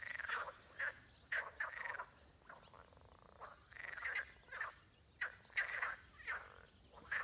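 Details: In a Spanish pond along the Camino de Santiago on June 30, many frogs give rough, rasping croaks in short bursts separated by brief gaps, some overlapping, while swallows fly around.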